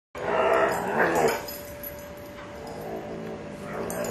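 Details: Eight-month-old female Alaskan Malamute pup wrestling playfully with another animal. Rough, harsh growly vocalising for about the first second and a half, then quieter rustling, with a steady low hum underneath throughout.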